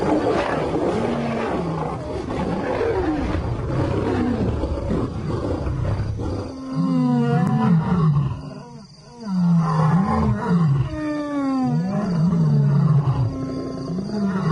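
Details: Noisy, rumbling start gives way to an African lion's rhythmic series of low, bowed grunting roars, repeated quickly in the second half.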